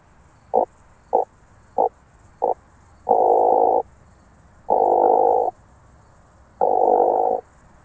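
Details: Starnberg, Germany, 18 July 2023: an oak bush-cricket, detected with a Pettersson D 100 ultrasound detector, makes four short regular taps. Three loud, long buzzing bursts of nearly a second each follow, over a steady background hiss.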